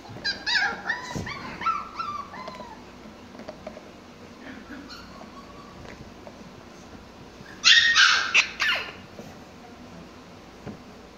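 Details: Pomsky named Mikey playing with his toys indoors: a quick run of high, thin yips and whimpers at the start, then a louder cluster of sharp yelps near the eighth second, with quiet gaps between.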